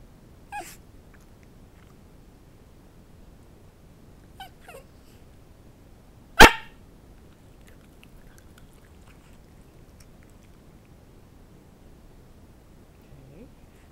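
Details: Bowzer the pet dog, trained to speak for chicken held up over him, lets out a single loud, abrupt bark midway through long quiet, with a couple of soft faint sounds before it.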